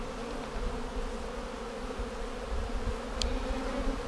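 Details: Colony of honey bees in a vertically split hive, checked on March 10, 2019 for queen cells a week after splitting. A continuous, even, low hum of many wings, with a single sharp click near the end.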